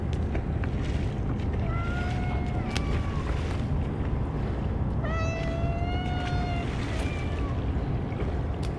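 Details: Outdoor feeding of stray cats that gathered in large numbers and received only Churu treats; two long wavering meows about three seconds apart, the second louder and stronger, against constant low-pitched rumble and scattered clicks.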